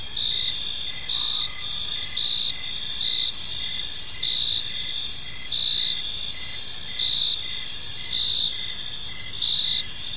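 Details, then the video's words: Crickets in a park at evening give a steady high chirping chorus, pulses repeating roughly every second over a continuous shrill drone; a brief faint higher tone appears near the start. "Park Serenade: Cricket Sounds in a Peaceful Park | Evening Ambience"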